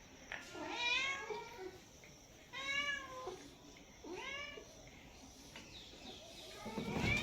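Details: Cats and kittens meowing: four separate meows, each under a second, bending up then down, spaced one to two seconds apart, ending in a louder, higher cry, with a quiet room background.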